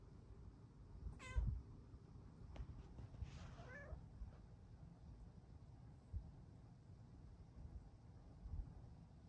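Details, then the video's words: Female Bengal lap cat meowing to be cuddled indoors: a brief high meow falling in pitch, then a second softer descending meow a couple of seconds later, with quiet room noise and small bumps. "Lap kitty asks to cuddle with her NICEST meows!"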